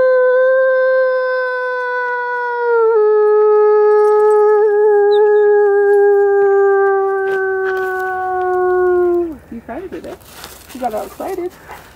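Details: Wolf during a close encounter with people: one long, steady, harmonic howl sliding slowly downward for about nine seconds, with a small step partway through, then ending in a brief burst of speech and noise.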